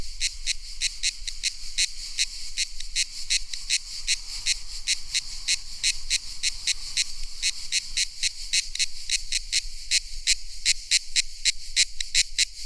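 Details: Cicadas in a tropical soundscape, summer song: rapid, evenly spaced buzzy pulses, about three per second, high and bright, continuing steadily throughout.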